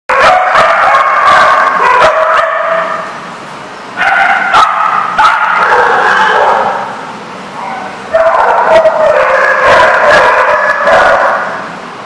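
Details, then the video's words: Dogs barking hard and fast in dense, overlapping bursts about four seconds long, split by short quieter gaps, with yips and whiny tones mixed in. "The Barking Lot"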